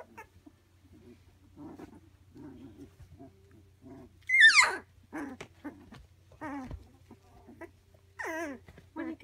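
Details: Labradoodle pups three weeks old, kept indoors, with quiet grunts and snuffles, then a loud piercing squeal that sweeps sharply downward, followed by shorter whines and a final wavering cry, over a faint background hum.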